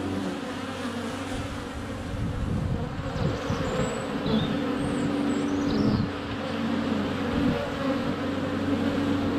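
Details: Close-up of honey bees at the hive entrance on a sunny February day, with bees landing on a GoPro Hero 7 Black. A droning hum with a steady tonal line, a few faint high bird calls, and swelling loudness as bees pass.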